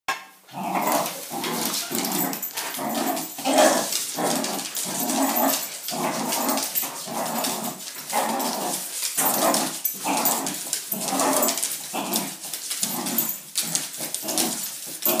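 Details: Wire Fox Terrier pet playing excitedly with a broom, giving a continuous run of rough, rhythmic growls and snarls roughly every half second, with French speech and background music.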